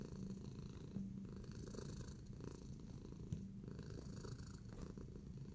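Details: Tacy the cat purrs while kneading, relaxed: a low buzzing rumble with a brief faint higher tone near the start and a soft tap around the middle.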